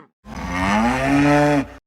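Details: Zebu mooing: one long, steady, nasal low moo lasting about one and a half seconds that rises slightly in pitch toward the end, then stops abruptly; no other sounds.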